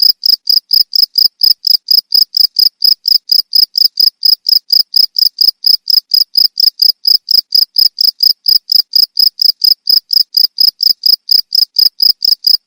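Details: Cricket chirping, recording used to repel rats; sharp, high, ringing pulses repeat at a fast, steady pace of roughly four per second throughout, clean with no background sounds.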